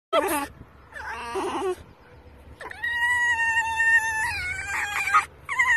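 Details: Rescued fox, female, squealing with excitement while being petted; high wavering squeals and drawn-out whining tones with clear harmonics, several bursts separated by short pauses.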